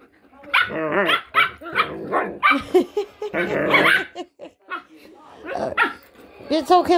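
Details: Pet dogs, a German Shepherd and a Jack Russell cross Chihuahua, 'talking' in wavering, whiny, moaning bursts mixed with barks, several rising-and-falling harmonic calls over seven seconds, overlapping a person's speech.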